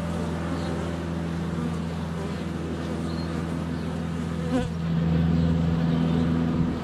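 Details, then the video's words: In February sun, a GoPro Hero 7 Black sits under a foot from a hive entrance, surrounded by honey bees in flight. It picks up an even, deep buzzing drone that swells louder after a brief knock near the middle, possibly a bee landing on the camera. "4K Honey Bees - ambient video and audio"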